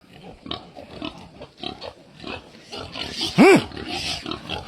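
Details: Family pig giving a run of soft, scattered grunts, then one loud, short, rising-and-falling squeal near the end, with a man talking in Khmer in the background.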